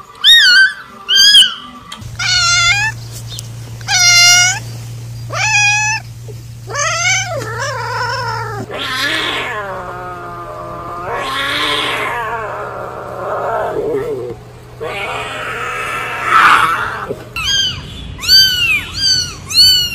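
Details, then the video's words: Cats meowing: a run of short, high, arching meows, some overlapping, with longer drawn-out, wavering cries in the middle and a steady low hum beneath. "cats voice/ lovely cats."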